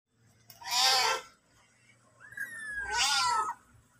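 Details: Mother cat with her kitten: two bright, loud meows about two seconds apart, the second longer and drawn out, with a thin high whistle-like tone running beside it.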